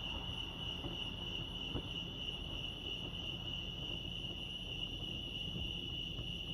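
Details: Crickets chirping at Lake Arrowhead, California: a steady, high, continuous trill holds a single pitch throughout, with a faint low rumble of background noise beneath.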